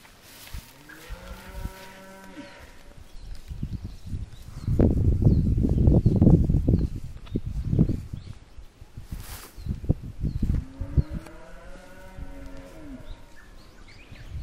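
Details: Japanese Black cattle at Nishi-no-hara on Mount Sanbe, Japan, on a weekday evening amid fresh spring greenery after Golden Week. A long harmonic moo opens the clip and another comes near the end, with loud rustling and thumping between and faint bird chirps.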